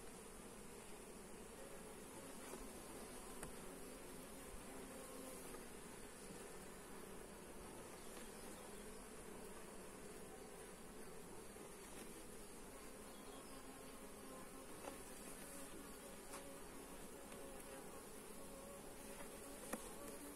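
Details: Honey bees buzzing at their hive during an inspection, recorded on a Xiaomi Redmi Note 8 smartphone; a steady, dense low hum drones on without pause, with faint clicks and light crackles scattered through it.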